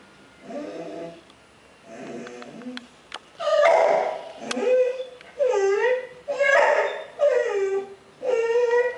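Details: Bull terrier Piggy, facing his reflection in the water bowl, gives a series of whiny, bending yelps about once a second, rising then dropping in pitch, after a few softer murmuring sounds.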